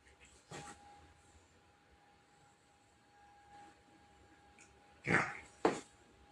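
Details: A Labrador Retriever sneezes: one sharp, noisy burst near the start, then after a quiet pause two more sneezes in quick succession at the end, over a faint steady hum.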